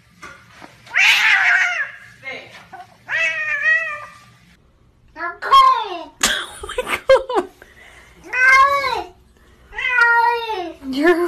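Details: Pet kitten giving loud drawn-out meows and wailing cries, several rising then falling, in bursts separated by short pauses, indoors with little background noise.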